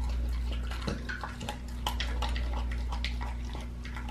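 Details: A pit bull tearing into a raw leg of lamb: rapid crackly crunches and tearing sounds, bunched and irregular, against a continuous low-pitched hum.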